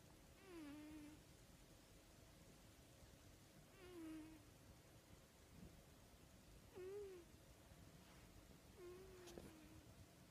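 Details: A cat snoring softly, each breath ending in a brief whistly, nasal tone, repeated roughly every three seconds over low background hiss and a faint knock near the end.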